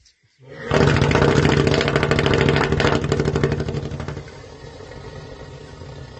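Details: An elephant sleeping gives a deep, rough, throbbing snore that roars loudly, then fades to a softer rasp.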